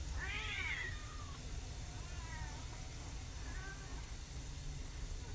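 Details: Household of a mother cat and her adopted rescue kittens, one called Sugar. A clear, bright arching meow opens, followed by two softer, shorter meows spaced about a second apart, with a constant low droning hum beneath.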